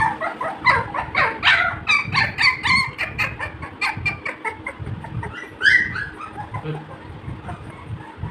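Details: A busy chorus of high whimpering yelps from Labrador Retriever puppies playing together, rapid pulses repeating several times a second, bunched and overlapping, easing off toward the close.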